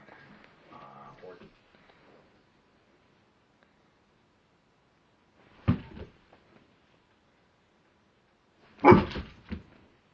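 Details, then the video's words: Koda, a roughly one-year-old female husky/giant Alaskan Malamute, barks indoors at a mirror she is scared of, two sharp broadband barks near six and nine seconds, preceded by low murmuring at the start and quiet between. "My Husky/Giant Malamute scared of a mirror"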